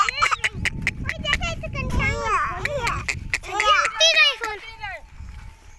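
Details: Goats heading to the village jungle in the morning give arched, harmonic bleats that rise and fall, several in quick succession, with rustling, footsteps and low background noise outdoors.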